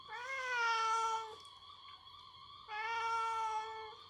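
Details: Indoor domestic cat scolding its owner, who pestered it for food in revenge for its own usual food demands: two long, drawn-out harmonic meows, each over a second long, separated by a short quiet pause.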